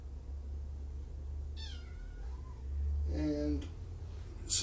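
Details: Indoor kitten, one of five from two litters surrendered in Tacoma to Purrfect Pals, letting out a short falling meow, followed by a brief burst of human voice against a low background hum.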